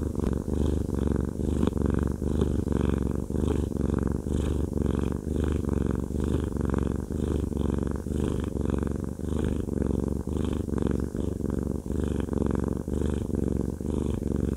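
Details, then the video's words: Fluffy male house cat Haku enjoying a massage, purring steadily: a deep, unbroken rumble rising and falling with his breath roughly once a second, close and loud throughout. "Haku Fluffy Cat has a Massage/ ASMR"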